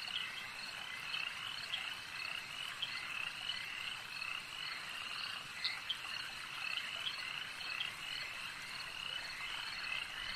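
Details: Chorus of frogs by a lake: steady overlapping high trills fill the background while short, crisp croaks from nearer individuals break through at irregular intervals.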